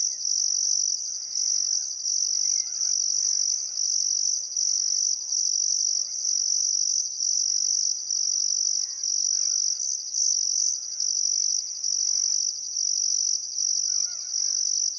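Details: On a still summer afternoon in Outback Queensland's Welford National Park, crickets along the Barcoo River keep up a piercing pulsed trill, about seventy bursts a minute, while distant birds call faintly.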